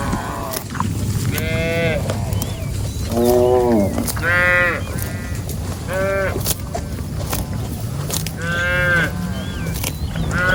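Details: Cows roaming in rice paddy fields; one moos repeatedly, drawn-out harmonic calls rising and falling over a low background rumble.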